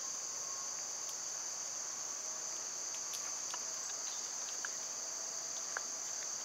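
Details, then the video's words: Cicadas in summer, when they are loud, hold a continuous shrill drone throughout, with scattered faint ticks and clicks over the top. "Birds & Squirrels w/ Cicada sounds"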